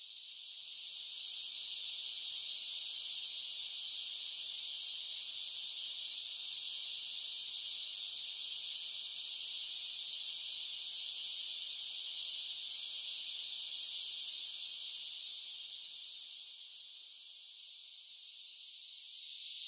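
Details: Cicadas in summer: a high, hissing buzz swells up over the first two seconds, holds steady and loud, then dips softer near the end before rising again; no other noises.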